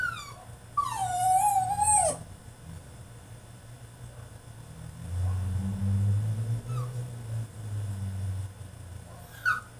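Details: Caged French Bulldog in a tantrum gives one wavering, falling whine lasting over a second, followed by low rumbling and murmured background sound with a faint short whine near the end.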